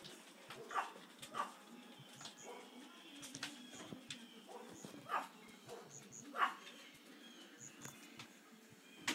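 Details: Pet dog barking at something unseen indoors; several short, sharp barks spaced irregularly a second or more apart over a low steady background hum, with faint human voices between.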